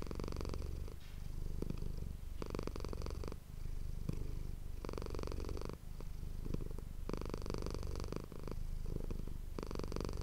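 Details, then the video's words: Pet cat Manis purring close to an ASMR microphone, a continuous deep vibrating rumble with long stretches of louder broadband rustling or breathing noise every couple of seconds. "ASMR cat purring ❤ Manis die aan het spinnen is"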